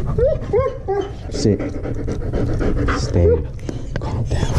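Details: German Shepherd dog crying from fear on the way to the vet: short high whimpers rising and falling in pitch, then panting and breathy sounds, with a person talking and a low rumbling background.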